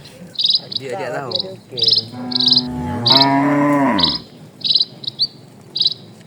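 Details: Dozens of cattle crossing a calm countryside road at a slow walk; two drawn-out lowing moos, the first falling, the second broad and steady, while rhythmic high insect pulses and faint bird calls continue behind.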